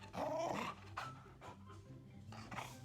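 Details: An excited Golden Retriever greeting its returning owner makes a strange groaning, warbling, Chewbacca-like vocalization, followed by brief huffs.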